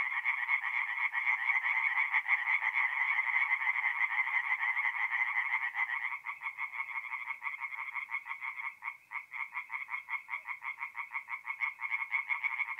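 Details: Singing tree frogs at a forest pond by night in mid-April, north-eastern Italy; a dense overlapping chorus thins after about six seconds into clearer, evenly spaced rapid croaks.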